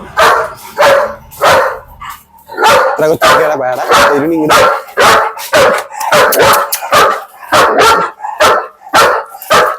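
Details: German Shepherd in Perumbavoor, tested to see whether it barks at a visitor without its owner present: a rapid run of loud, rough barks, roughly two per second and unevenly spaced, with men's voices talking in between.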